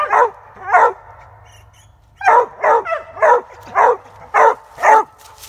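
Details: Treeing Walker Coonhound on a squirrel hunt, barking loud and ringing: two barks, a pause of over a second, then six more in a steady run about every half second, with faint background hum.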